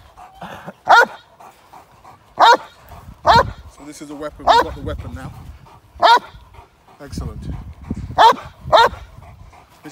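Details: Male Cane Corso barking during k9 response protection training in London, UK, in a moped gang crime scenario. About eight sharp, loud barks come at uneven intervals, some in quick pairs, with a human voice talking between them.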